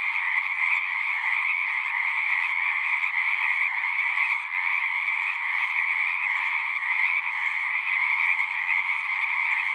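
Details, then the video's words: A continuous chorus of singing frogs, many overlapping trilled calls merging into an unbroken, even wall of sound. "One hour of singing frogs."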